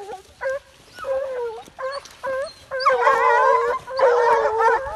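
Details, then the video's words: American Foxhounds, six dogs chasing deer on a hunt, baying in overlapping bursts: drawn-out howling bays with wavering harmonics, several hounds joining together in the last two seconds into a dense chorus. "Levantes de cachorros atrás do veado - Six dogs uplift after the deer"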